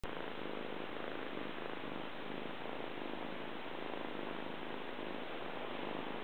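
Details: Male Persian cat purring while rolling around on its owner's tummy, described as lovable but a bit shy; a steady, continuous rumbling purr fills the whole recording without breaks, close to the microphone.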